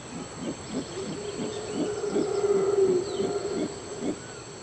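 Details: In Costa Rica's forest, a clan of howler monkeys roars to defend its territory: deep, guttural pulses three to four times a second, swelling mid-clip, over a faint steady high insect hum; such calls carry several kilometres.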